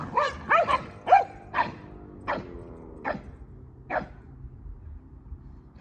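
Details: Kumo the Keeshond and Sully the Boston Terrier jousting in play: a run of about eight sharp yips and barks, quick at first, then spacing out, with harmonic yelps up front, over quiet room tone.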